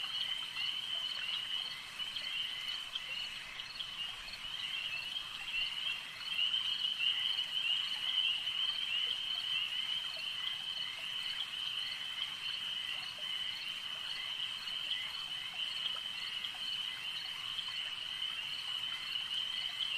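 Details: Lake frog chorus, a ceaseless shrill buzzing trill from many animals at once, swelling slightly in loudness around the middle and holding an even, unbroken texture for the whole stretch.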